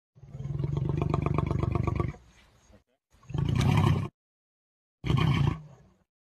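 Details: Angry lion roaring: a deep, pulsing two-second roar, then two shorter, harsher bursts of growling roars separated by brief silences.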